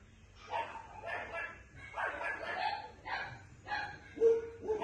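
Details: Young female Maltipoo pup yapping in a quick series of five or six bright, tonal yelps, some rising then falling, the last ones higher and shriller.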